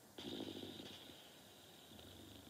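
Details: Sleeping dog Norton gives one short, rough snore of rapid fluttering pulses, followed by quiet, steady breathing.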